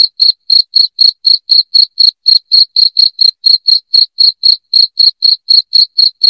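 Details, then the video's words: Loud cricket chirping: short, shrill high pulses repeated steadily about four times a second with brief silent gaps, no other sounds. "SUARA JANGKRIK NYARING"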